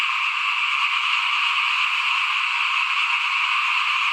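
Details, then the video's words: A steady wall of frog calls, with many overlapping trills layered at a mid and a higher pitch. Recorded in front of a house while rice was being sown in 2021, with no other sounds standing out. "ฟินๆกับเสียงเขียดร้องหน้าบ้าน ตอนหว่านข้าวเตรียมปลูกปี2021"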